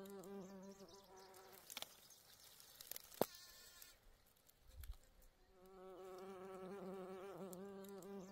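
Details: A bee among flowers gives a steady, low droning buzz that fades out and then returns, with a few soft clicks between.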